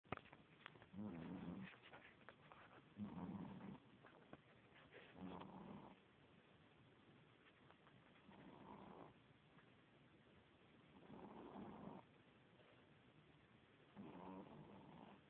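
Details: Two-month-old female Boston Terrier puppy asleep indoors, snoring softly: raspy, low breathy bursts lasting about a second each, repeating roughly every two to three seconds, with quiet pauses between them.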